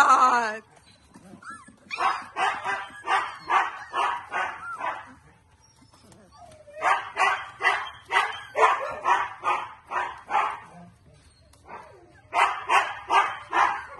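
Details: Siberian Husky puppies in a basket give bursts of short, harsh yips, repeated about twice a second.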